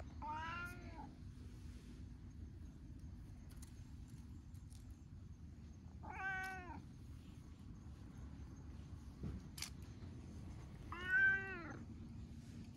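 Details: Stray cats sunbathing together outdoors in Japan, including an affectionate orange tabby; three drawn-out harmonic meows spaced about five seconds apart over a low steady background hum.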